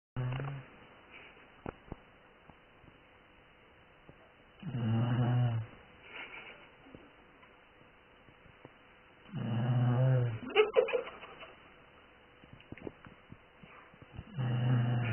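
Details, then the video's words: A sleeping dog snores in low, rumbling bursts about every four to five seconds, with quiet breathing and faint clicks between snores. "Snoring dog"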